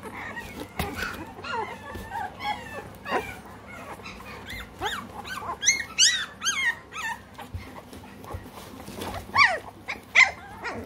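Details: Three-week-old American Bully puppies in the United Kingdom, a litter squealing and whimpering in high, wavering yelps that rise and fall, several voices overlapping, with louder bursts of squeals near the middle and end.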